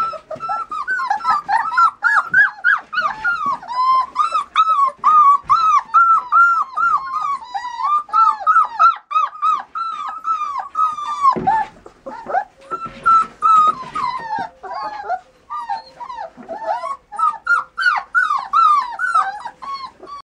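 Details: Border Collie, indoors: a dense, nearly continuous run of high, arching whines and yelps, several voices seeming to overlap, each short cry bending up then down, with brief pauses around eleven and fifteen seconds.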